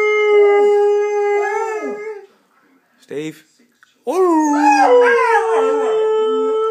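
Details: Pet Saluki dog howling as if singing: a long steady wavering howl with rich overtones for two seconds, a pause with a brief broken burst, then a rising, yodel-like howl that settles into a sustained tone.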